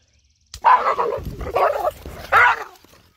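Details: Pet dog from a funny-dogs compilation giving three short, tense yipping barks with a whining edge, each burst about half a second long and spaced roughly a second apart, in a quiet indoor setting.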